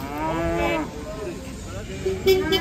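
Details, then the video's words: Enraged cow in the water with residents gathered to watch; one flat, sustained low moo in the first second, then quieter background voices and a few sharp noises. "Sapi Ngamuk berenang di air"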